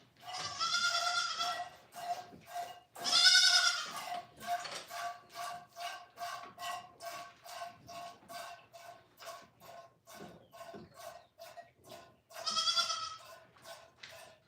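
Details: A goat at The Willful Goat Farm & Home lets out long, loud, quavering bleats near the start and end, with a steady run of short, soft, evenly spaced sounds in between.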